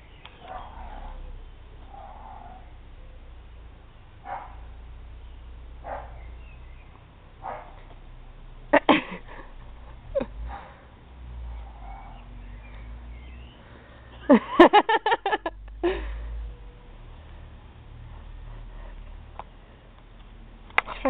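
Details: Thor, a black Labrador puppy, investigates bunnies in June 2009. He makes short, breathy sniffing snorts in scattered bursts, with a sharp cluster near the middle and another later, over a low room hum and occasional quiet voices.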